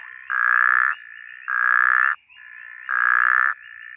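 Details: A snoring puddle frog (Phrynobatrachus natalensis) in the bushveld gives loud, nasal, buzzy bursts, each about half a second, repeated steadily.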